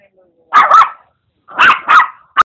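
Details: Putter, a noisy Maltese-Papillon cross, at play with a pug mix: two pairs of quick, high doubled barks about a second apart, ending with one short sharp yip.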